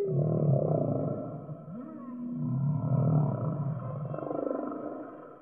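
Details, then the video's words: Whale singing: low, drawn-out moaning tones that swell and fade in overlapping waves, with a brief upward-sweeping whoop near the middle and a faint higher tonal line above. "Whale Singing"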